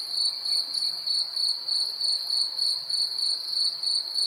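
Crickets chirp in a steady, high, ringing trill, pulsing several times each second at night.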